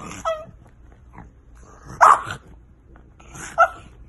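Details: French Bulldog puppies: three short, sharp yelps spaced well apart at roughly one-and-a-half-second gaps, with quiet shuffling noises between them.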